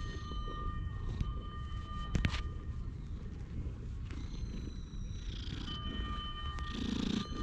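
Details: Park-bench stray cat purring in a deep, even rumble while resting on a lap and being stroked, GoPro HERO8 recording. A few sharp handling clicks and faint high bird notes appear.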